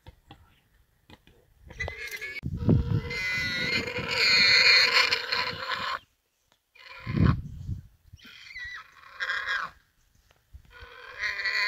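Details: Big warthog fighting in the grip of a large male leopard on safari in South Africa. Long strained harmonic squeals run for several seconds, break off, then resume in shorter bursts over heavy rustling and low thumping.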